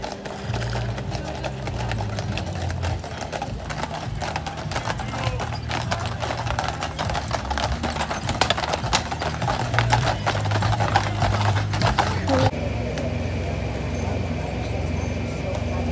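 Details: Clydesdale horses in Baldwinsville after a parade, being readied to go home: a busy, irregular clatter of hooves on hard ground, under steady low rumble, voices and faint music, thinning after about twelve seconds.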